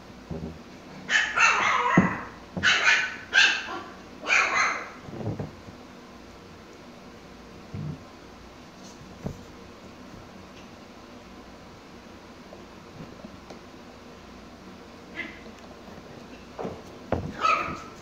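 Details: Mikey, a Pomsky, barks while playing with his toys: four rough, fairly high barks in quick succession over the first few seconds, then a long near-silent stretch, ending with two more barks.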